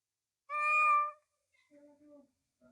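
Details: Domestic cat giving one loud, clear meow lasting under a second with strong harmonics, followed by two softer, lower, shorter mews after a pause; no other sounds.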